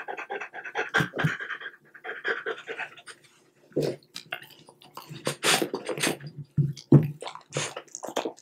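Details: French Bulldog eating small cubes of boiled unseasoned chicken breast, recorded close up indoors; bursts of quick rhythmic panting alternate with sharp wet chewing clicks and smacks, with brief quiet gaps between.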